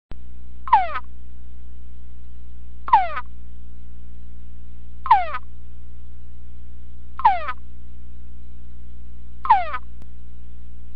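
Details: Male túngara frog in a sound-proof box calling in response to conspecific chorus sounds played through a speaker: five short, downward-sweeping whines with rich harmonics, about every two seconds, over a steady low electrical hum.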